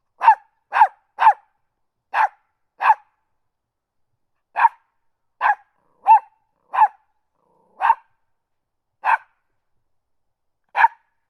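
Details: Small dog barking: short sharp yaps, mostly single, some in quick pairs or triplets, spaced irregularly with brief silences between them, clean with no other sounds.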